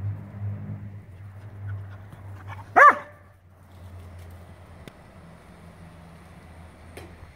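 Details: Playful Sunday romp between a Scottish Terrier and a Schnauzer; one sudden loud bark stands out midway against quiet low rumbling and faint scuffles.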